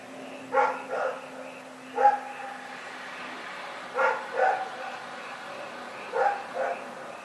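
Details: Rex, a dog, barking in the night, recorded February 27, 2018: paired and single harmonic barks in bursts around every two seconds, over a steady low hum and a faint repeated high chirping in the background.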